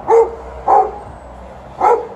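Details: Dog complaining because it wants to fetch, outdoors near poplar trees shedding fluff; three short, tonal yelping whines at about half-second and one-second gaps, each briefly bending in pitch, with quiet background between.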